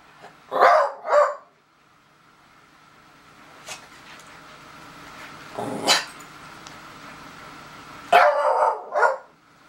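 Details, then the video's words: Daisy the beagle sounding off at a stink bug with a quick double bark at the start, a lone softer yelp midway, then another rough double bark near the end over low room hum. "Daisy the Beagle Howls at Stink Bug"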